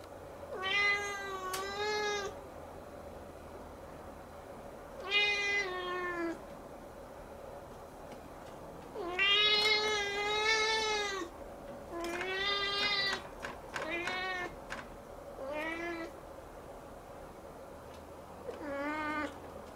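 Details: Siamese kitten staring up at the ceiling, crying on and on: six drawn-out, harmonic-rich meows of one to two seconds each, separated by short pauses, in a quiet indoor room.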